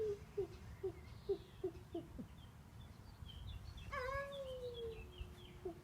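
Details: Devon Rex cat making a funny noise: a quick run of short, clipped chirps about three per second, then a longer drawn-out wavering call that slowly falls, ending with one brief chirp; quiet low background hum.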